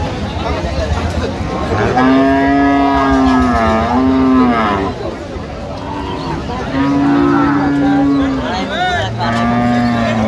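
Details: Dairy cows at Aftabganj cattle market in Bangladesh, recorded on 1 November 2025 amid trading; long drawn-out moos, steady and nasal, two main calls each lasting about two seconds, over a background of crowd chatter and men bargaining over prices.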